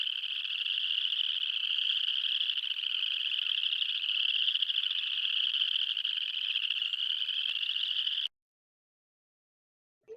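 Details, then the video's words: Spring peepers, thumb-sized early-spring frogs, in a dense chorus in a roadside puddle in Michigan: high piercing peeps blend into a continuous jingling shimmer like jingle bells. "And it sounds like jingle bells with those spring peepers."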